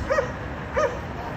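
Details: At the 5600 Condo, barking dogs disturb the neighbours three times daily; a pair of clipped barks spaced roughly two-thirds of a second apart rise above a low rumbling urban background.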